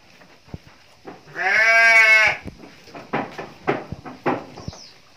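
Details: Female Garut sheep in a pen gives one loud, drawn-out bleat of about a second, wavering and rich in harmonics. Soft clicks and knocks follow it in the background.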